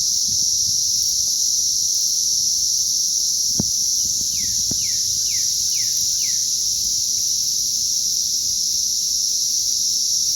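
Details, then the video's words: Cicadas emerging en masse on May 20th 2034 keep up an even, piercing drone. A bird adds five falling whistled notes midway, and two sharp knocks sound earlier. "ATTACK OF THE CICADAS"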